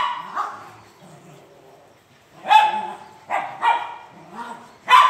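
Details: French Mastiff from India barking in an irregular series: a single bark, a long quiet gap, then four forceful barks in quick succession, with faint low murmurs between them.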